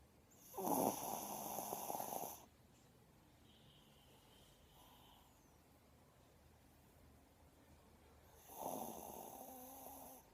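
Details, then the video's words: Pet dog named Cooper snoring while asleep with eyes open: two long, rough snoring breaths, one near the start and one near the end, with a quiet pause of several seconds between them. "Храпит ржачный пёс. Наша собака. Спит с открытыми глазами"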